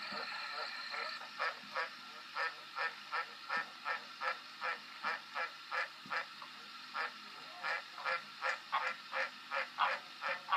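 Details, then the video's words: A green tree frog croaks steadily, repeating a short, clipped, honk-like note roughly twice a second for the whole stretch, with slight variation in loudness and a faint hiss behind. "Green tree frog croacking"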